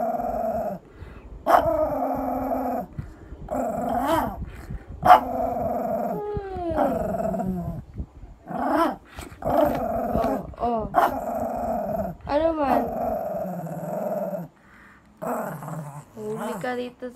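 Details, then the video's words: Shih Tzu tantrum, staged as a joke about losing willpower on a diet: a string of short grumbling moans and wavering whines, broken by brief pauses, with several sharp rising-falling yelps between them. "SHIH TZU TANTRUMS"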